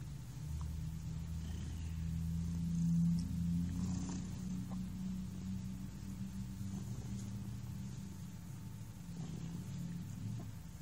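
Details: Relaxed cat Thunder purring close up, a loud deep humming drone with steady low tones, nearly unbroken across the clip.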